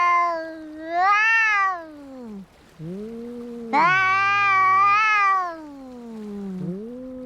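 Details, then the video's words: Brawling cats: swelling and fading yowls, rising then dropping in pitch, with low moaning growls and a second voice joining in a harsher, buzzy howl. "Som de gatos brigando"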